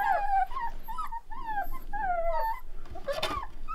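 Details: A pack of one-month-old Rottweiler puppies letting out a string of short wavering howls and whimpering notes, repeated roughly every half second, ending with a louder noisy burst and a man's voice.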